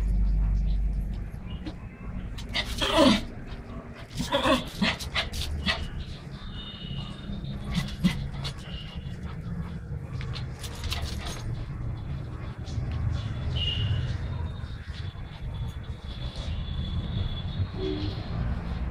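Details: Pomeranian dog at play, giving a few sharp, broad yaps near the start, then quieter intermittent noises over a steady low rumble, with a thin high whine running through the middle.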